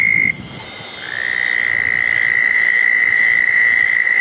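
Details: After a June 10, 2014 thunderstorm, a southern toad at a small pond on a wet night gives a high, sustained musical trill. One trill cuts off, a short lull follows, then another toad starts low and quickly settles into a steady, continuous trill.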